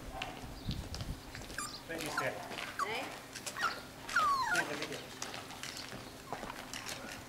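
Newborn Miniature Schnauzer puppies give thin, high squeaks that slide up and down, with soft voices nearby.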